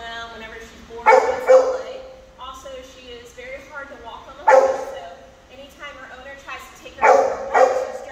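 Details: An eight-month-old Great Pyrenees in off-leash training in Atlanta, giving deep, loud barks in pairs, around three bursts spread across the clip, with a person talking in between.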